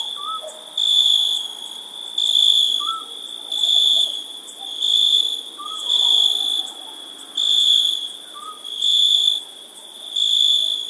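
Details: Crickets chirping on a summer night: a steady high shrill trill swells into louder pulsed bursts about every second and a half, with a few faint short lower chirps in the background.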